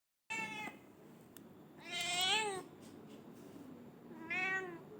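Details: Domestic black-and-white cat meowing indoors: three harmonic meows, a short one at the start, a long rising-falling one in the middle, and a shorter one near the end, with quiet pauses between.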